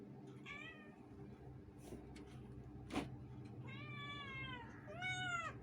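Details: Two pet cats shouting meow; clear harmonic meows, an early one then two longer drawn-out meows near the end, with a sharp bump and low rumbling background noise.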